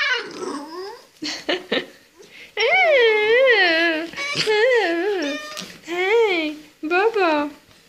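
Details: A 2-month-old American Staffordshire Terrier and Belgian Shepherd cross puppy whines in long wavering, rising and falling cries, repeated in bursts, with a person speaking Czech encouragingly between them.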